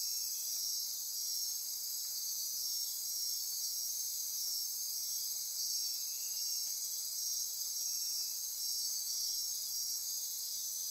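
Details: After dark in the Costa Rican rainforest of the Osa Peninsula, near Corcovado National Park, a thick insect chorus of high trills and buzzes runs evenly for the whole stretch, with no other clear sounds.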